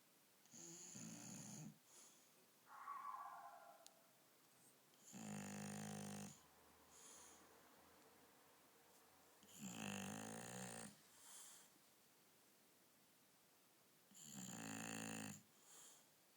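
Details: Akira, a female dog asleep at night on a bed indoors, snores in loud, rasping bursts roughly every four to five seconds, each lasting about a second, with quiet breathing between and a faint whine early on.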